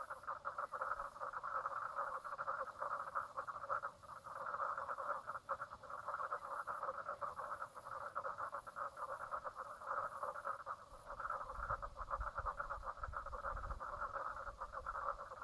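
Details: Late-morning frog chorus (10:55am, 04/03/2017) at Brown Lake on Queensland's Stradbroke Island, Australia: unbroken rattling, rapidly pulsed calls from many frogs, a short dip around four seconds, faint low rumble toward the end.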